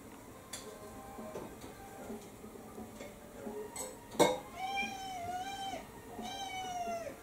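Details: Kou-chan, a pet cat indoors on a dinner strike in December 2022, gives two drawn-out, tonal meows that rise and then fall, about a second apart, after a sharp clatter of dishes.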